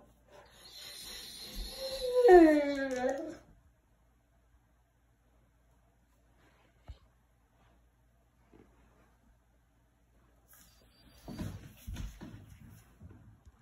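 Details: Turkish Kangal Shepherd puppy, 8 months old and 94 lb, indoors, complaining and arguing with its owner. One drawn-out groaning whine wavers and falls in pitch over about three seconds, then quiet, with rustling and movement later.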